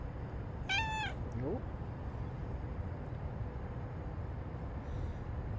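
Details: A domestic cat 'talking' and complaining indoors, giving one short harmonic meow followed by a softer rising chirp, then quiet room noise.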